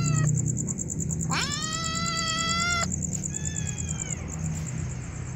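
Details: Kittens crying from hunger: one strong, steady, drawn-out meow lasting over a second, followed by a fainter, falling meow, with background rumble and a steady high-pitched whine.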